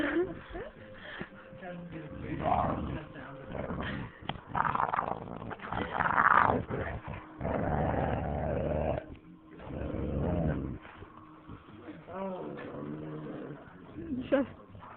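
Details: Playful husky and boxer; bursts of low, rough growling and grumbling come in repeated surges over fifteen seconds, with a short whine near the end and a person talking in between.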